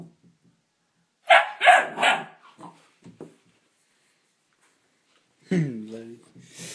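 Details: Neapolitan Mastiff x Pit Bull puppy confronting its mirror reflection indoors: three quick, loud barks in a row, a few faint huffs, a long quiet gap, then a falling, drawn-out whining moan.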